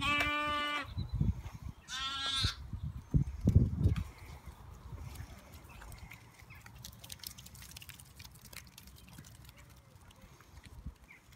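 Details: Young lambs during an afternoon run-around, playing outdoors: two loud, harmonic bleats in the first few seconds, the second higher and shorter, followed by thumping hooves and rustling, then a quieter stretch with faint background noise.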